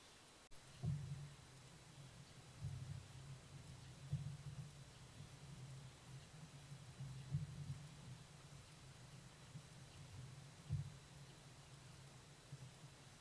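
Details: Wild Ezo red fox kit hiccupping at its den in Hokkaido, Japan, caught by a trail camera: soft, low thumping hiccups repeat irregularly every one to two seconds, about eight in all, over a steady background hiss.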